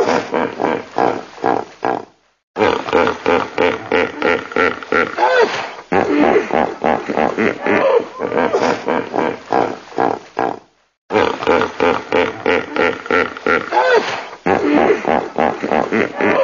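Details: A hippopotamus sounds off in long, pulsing bouts of hoarse, booming grunts repeated several times a second, broken by two short silent gaps before the rhythmic honking starts again.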